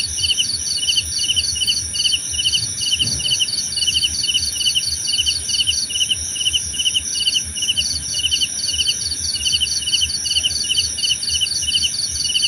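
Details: Relaxing night-style chorus of crickets for sleep: rapid trilled chirps in two layers, a higher one pausing briefly mid-way, all over a constant shrill background drone, with a faint low thump early on.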